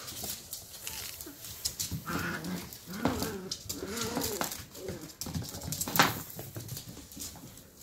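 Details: Rough play between a pair of 11-week-old sheltie puppies, with arched, whining yelps and nasal grumbles bunched in the middle seconds, set against pawing, bumping noises and a sharp knock near the end.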